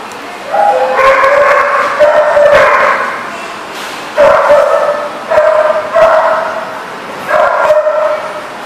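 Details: Dogs barking in a kennel-like setting recorded on 6/13/14; loud harmonic barks and yips come in bursts of about a second, several overlapping, repeated through the stretch with short quieter gaps.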